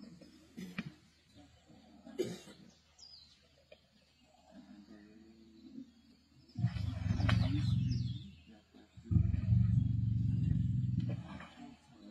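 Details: Lions, the Black Dam male lions feeding on a kill with the Avoca Pride in Sabi Sands on 31 March 2024: two long, deep, rumbling growls of about two seconds each, with faint bird chirps and soft clicks between.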